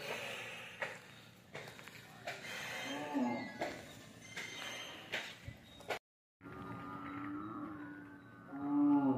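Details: Hallikar stud bull at Gollarahatti near Ajjanahalli giving low, drawn-out moos with a steady tone, one near the middle and a louder one at the end, amid people talking nearby and a brief silent gap.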